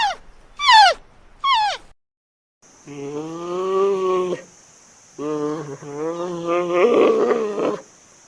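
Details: Giant panda vocalizing: two sharp descending squeals, then two long bouts of steady, low, nasal bleating rich in harmonics. The second bout turns rough and strained near its end, with a faint steady high hiss in the background.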